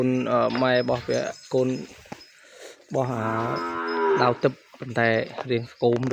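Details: A cattle calf kept apart from its mother in a pen cries for her: a run of loud, harmonic, nasal bawls, each about half a second to a second long, with a longer drawn-out moo in the middle and short gaps of silence between.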